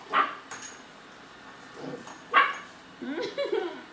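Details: German Shepherd puppy startled by a robotic vacuum; two separate short barks about two seconds apart, followed by a woman speaking.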